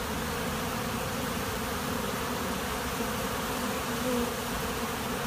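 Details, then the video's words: Swarming honey bees at a monastery apiary, many insects together giving a loud, unbroken buzzing drone that holds an even level from start to finish. "Пчелиный рой на монастырской пасеке"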